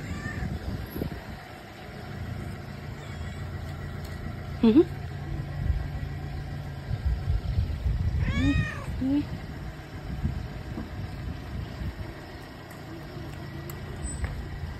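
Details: Excited street stray, a female cat fed daily by a passer-by, calls out with two short meows, one early and a longer wavering one later, over constant low vehicle noise and background talk.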